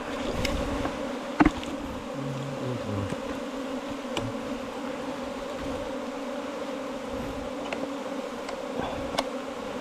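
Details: Honey bees nesting in a 4-metre bamboo length produce a constant, level hum, with a short spoken word, a loud knock and faint clicks.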